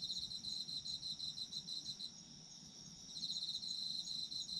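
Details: Autumn insect chorus intended for sleep: rapid shrill pulsed chirps, dropping out around the middle for about a second, then resuming, layered over a constant high-pitched drone.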